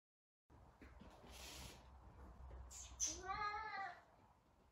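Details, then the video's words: Savannah cat Sabian, looking for Sabina, lets out one drawn-out meow near the end, preceded by soft hissing, rustling noises in a quiet indoor setting. "Talkative Savannah cat!!!"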